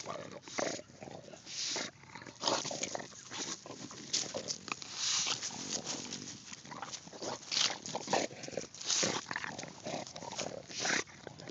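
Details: English Bulldog going after a pumpkin, recorded on an Android phone: a steady run of breathy, broadband snorts and piggy grunts in quick irregular bursts, with scuffling noises and a few spoken words in between.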